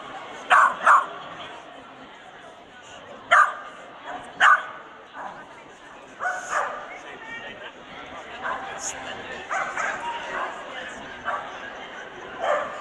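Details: Swedish Vallhund at the Strängnäs international dog show, 15 March 2015, in the best male ring. Sharp barks come in pairs near the start and again mid-clip, over steady indoor hall chatter and crowd murmur.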